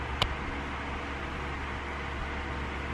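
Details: A steady indoor fan-like hum with a single sharp click near the start, and no animal voice.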